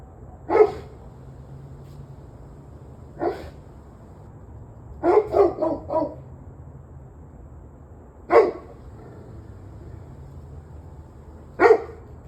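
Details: Dog barking in the evening of 21 November 2023, 7:06 pm: single loud barks spaced irregularly, with one rapid burst of four barks in the middle, low background hum throughout.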